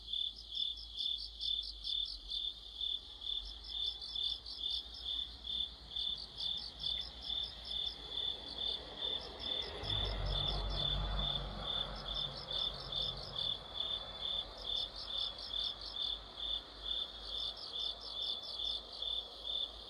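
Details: In the middle of autumn, crickets and other insects sing together in an orchestra under a streetlight: regular high chirps about twice a second, grouped trills from a second caller, and a low rumble passing midway.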